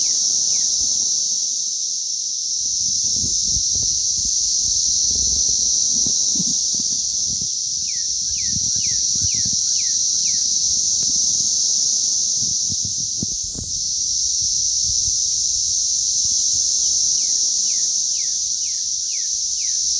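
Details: Mass chorus of cicadas during a hatch on May 20th 2034: a dense, unbroken high-pitched drone holding steady throughout, with two brief runs of quick descending chirps and soft low rumbling beneath.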